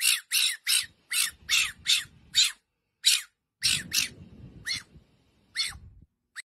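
A fennec fox gives a rapid run of shrill, harsh squawking yelps, each a brief high burst.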